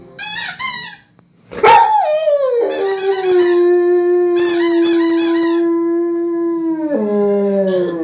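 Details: Male pet German Shepherd howling in response to a squeaky toy: after an early yelp, a long, steady, level howl is held for about four seconds, then drops lower at the end, with bursts of shrill toy squeaking over it.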